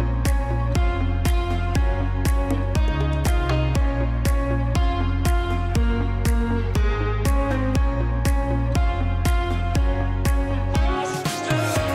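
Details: Electronic dance music with a steady, fast beat and layered synth tones throughout; no animal sounds are heard.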